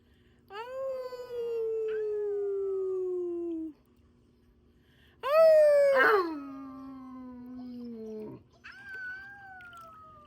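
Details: A Siberian Husky pack, a female and her grown puppies, howls together in drawn-out, tonal notes that glide gently downward. A second, higher howl overlaps and breaks off, and a brief rising wail follows near the end.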